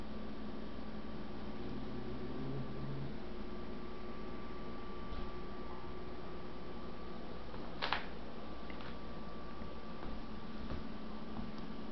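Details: Quiet indoor hum with a steady low drone and a faint tone, broken by a single sharp click near eight seconds; no animal voice is heard.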